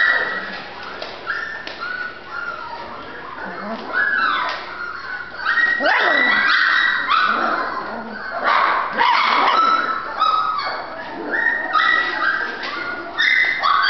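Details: Female Golden Retriever puppy yipping and whimpering in rapid, irregular bursts of high, strained cries, with human speech heard in the background.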